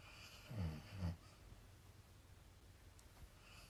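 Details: Leela, a dog, snoring with her tongue out and twitching while dreaming indoors; two low, rasping snore pulses close together near the start, then quiet breathing in a small room.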